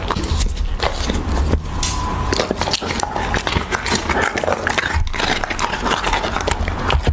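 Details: Raw beef being eaten by a Siberian Husky at close range: sharp crunches and tearing bites, with moist smacks scattered between them, over a faint low droning background.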